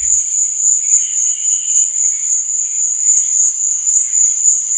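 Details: Crickets chirping at night, a constant shrill ringing trill, accompanied by faint wavering lower chirps.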